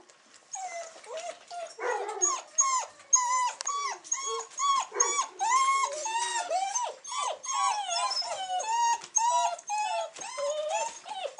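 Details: Six-week-old Weimaraner puppies (day 42) of Cherry and King, recorded 8 December 2008, keep up a dense chorus of overlapping squeaky whines and yelps, many pups calling at once with arched, slurred notes almost nonstop.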